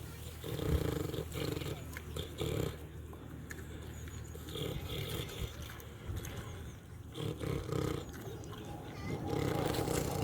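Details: Snoring, feeding pig on a farm: heavy, rhythmic low grunting comes in repeated pulses every second or two over a steady rumbling background, with some brief scratchy rustles.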